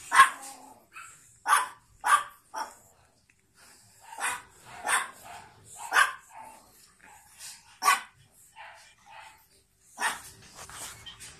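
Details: Two pug puppies born 9 April 2017 yap in quick, high-pitched barks, some single and some doubled, about every second or two, with softer whines and small squeaks filling the gaps.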